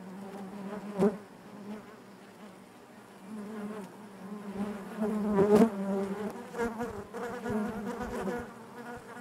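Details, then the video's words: Honey bees in their hive give a constant low buzzing drone with harmonic layers, sharp clicks early on, and a louder surge of close buzzing in the second half. "bees therapy hive natural buzzing sound"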